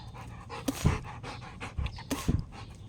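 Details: Female Rottweiler panting while playing fetch, throwing and catching a ball: rough breathy pants in two loud bunched bursts, one early and one past the middle, over a low steady background rumble.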